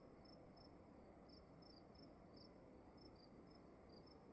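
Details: At night in a dark room, crickets give brief, high-pitched chirps in irregular pairs and runs, two voices slightly apart in pitch, above a constant low rumbling hiss.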